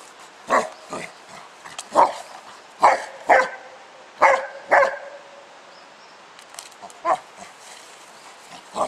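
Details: Spike the pet dog, outdoors playing with his 10 lb weight, barking repeatedly in short sharp bursts, often in pairs, about a second apart, with a brief lull midway before the barks resume.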